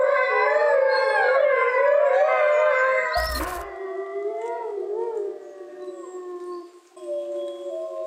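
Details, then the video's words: Eurasian wolves, a large grey wolf subspecies found across Europe and Asia, howl together in layered, gently wavering tones. A sharp click cuts in partway through, and afterwards the howls settle into lower, steadier notes. "Amazing Wolf Howl Compilation"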